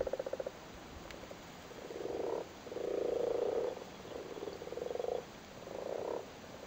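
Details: Male Irish frogs spawning in a flooded cattle grid in Cork, Ireland, sitting on their spawn: low purring croaks in bursts of about a second, overlapping and uneven, several callers at once.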